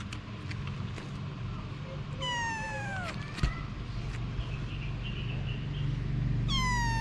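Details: Anna, a mother cat, with her babies. Two high, clear meows with rich harmonics: one bending downward in the middle, another starting at the end. A constant low rumble and faint scattered clicks run underneath.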